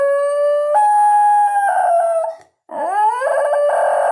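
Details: Basenji dog yodelling: clear, ringing tones stepping upward in held notes, then a brief silence and a rising, warbling slide that settles into a strained, sustained note.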